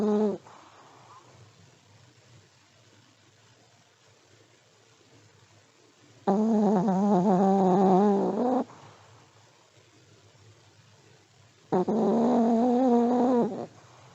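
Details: Old Pomeranian asleep, snoring: two drawn-out, tonal, wavering snores about two seconds each, separated by several seconds of quiet room hiss, with a short faint breath at the start.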